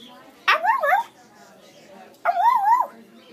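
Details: Young Siberian Husky puppy, energetic while playing with a person indoors, gives two wavering, yodel-like whining calls about two seconds apart. Each rises and falls, with a sharp start. A quiet background is between them.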